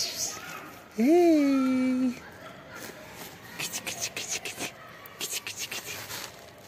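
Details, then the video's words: Black kitten, hungry and waiting under trees for food, lets out a single strong, rising-then-level meow lasting about a second, then soft rustling and tapping footsteps. "Incredibly cute black kitten hiding under trees and waiting for me every day / hungry cats"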